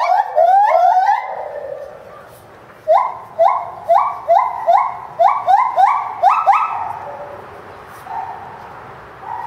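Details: Captive Bornean white-bearded gibbon at Higashiyama Zoo and Botanical Gardens, filmed January 2011, crying fiercely and jumping around: quick rising whoops at first, then a steady series of loud hooting notes about every half second, fading to softer hoots.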